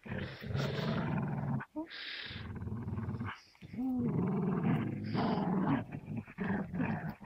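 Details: Stubborn tug-of-war between Gerundio the Amstaff and Baloo the Beagle over a piece of fabric toy. A near-continuous low growl runs throughout, with wavering, moaning rises in pitch and brief breaks.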